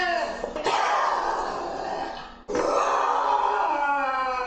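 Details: Lynx giving harsh, breathy growls with a faint tonal edge, two long sustained bursts split by a short pause, rough and throaty throughout.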